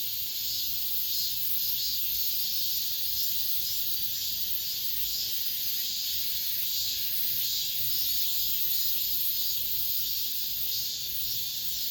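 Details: Cicadas, the season's last of the summer, drone from an apartment complex in an unbroken, hissing high-pitched buzz with gentle irregular swells and no other clear sounds.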